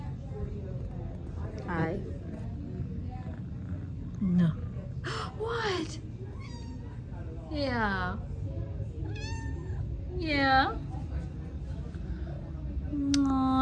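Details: Kitties indoors, filmed in August, giving pips and squeaks: a series of short squeaky meows with sweeping, rising-then-falling tones, spaced irregularly across fourteen seconds, while a woman talks softly to them between calls.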